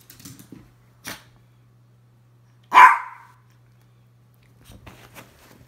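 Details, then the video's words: A single loud, abrupt bark from a Miniature Pinscher, standing out against near silence with a few faint clicks and a low background hum. "Min pin barking"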